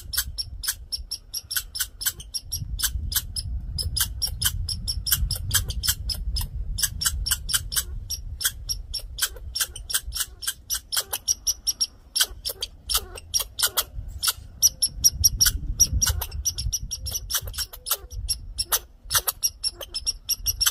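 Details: Male red squirrel with attitude, fussing loudly: steady trains of sharp clicking chatter notes, quick and buzzy, running almost continuously, over a soft low background rumble.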